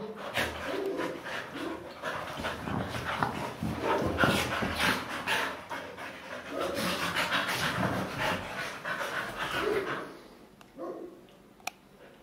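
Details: Several Siberian Huskies playing wildly together on a couch at home: rough, breathy panting and grumbling bursts pour out almost continuously, with quick scuffling sounds, then fade into near quiet over the last two seconds.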